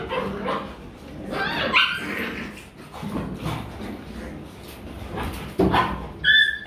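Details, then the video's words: Rottweiler puppies in Vietnam playing, biting and wrestling with each other: scattered yips and short barks with low growly rumbles, a sharp high squeal near the end, in a quiet room. "My Dog Puppy Playing"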